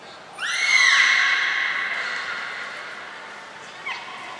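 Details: Captive belugas Nana, Mirai and Niko during a training session at Port of Nagoya Public Aquarium on 22 May 2022; a loud, rising whistle rich in overtones levels off and fades slowly, followed by a brief faint chirp.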